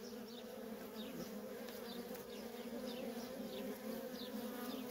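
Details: Continuous buzzing of worker bees streaming in and out of a feral honey bee colony, an even, unbroken low hum with repeated faint flyby whines above it.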